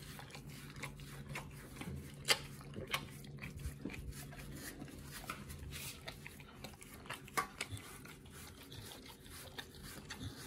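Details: Pit Bull eating a raw food combo of New Zealand green-lipped mussels, beef brisket, beef liver, green tripe and chicken quarter indoors: quiet, irregular crunching clicks and wet snaps scattered throughout over a steady low hum.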